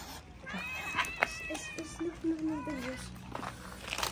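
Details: Homeless street cats in Morocco, fed daily, come with tails up, happy to see people; several harmonic meows rise and fall over a few seconds, mixed with a person's voice and faint rustling.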